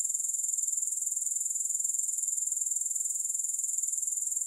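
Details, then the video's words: Grasshoppers produce a constant shrill, airy drone made of rapid regular pulses, about three to four per second, with nothing else audible. "3 Hours of Grass Hopper Sounds"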